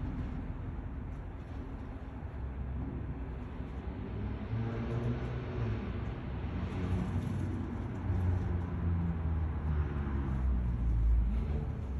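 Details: Low rumble of road traffic and passing vehicles in an outdoor setting, with no animal sounds.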